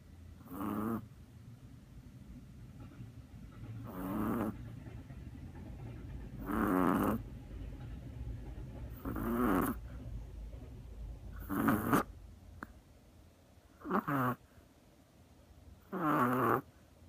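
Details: Sound asleep on a lap, a Chihuahua snores in regular breathy bursts roughly every two to three seconds. The snores have a raspy, faintly whistling tone, and the room is otherwise quiet.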